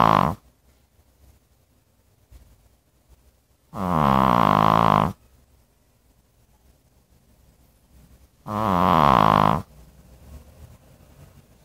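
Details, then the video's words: Dog snoring steadily: the tail of one snore opens the clip, then two coarse, buzzing inhalation snores of about a second each follow almost five seconds apart, with near silence between. "Funny Dog Snoring, 강아지 코고는 소리"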